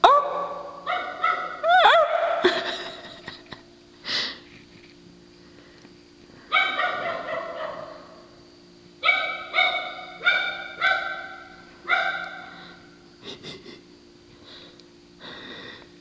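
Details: Female dog at night whose bark resembles a sea lion's: hoarse, honking barks with strong harmonics, delivered in clusters of rapid repeats separated by short pauses, with a steady low hum in the background.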